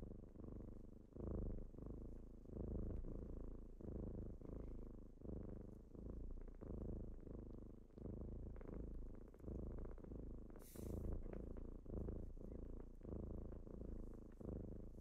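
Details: Morning purring from kittens waking someone up: continuous deep, throbbing purr pulsing with each breath, about one cycle per second and a half, with one brief sharp click partway through.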